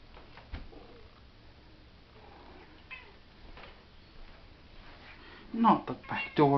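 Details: Chevy, a pet cat indoors, gives loud, wavering meows packed into the final second, after quieter faint sounds and a person talking to it in a small room.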